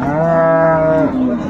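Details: Dairy cow with calf, an improved breed, at Ambari market, Dinajpur, Bangladesh, 22 April 2024; a rich, steady, level moo held for about a second ends in a brief lower tail, with faint voices around.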